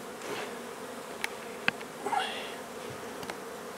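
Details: Honey bees in a nuisance hive inside an old house in Donna, Texas, during removal and relocation: a continuous low swarm hum, with a few sharp clicks and a brief higher whine in the middle.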